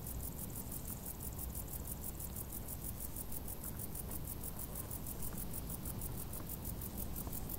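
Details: Crickets chirping from tall grass in hot summer: a steady, very high, evenly spaced pulsing of about five chirps per second, running throughout over a constant low rumble.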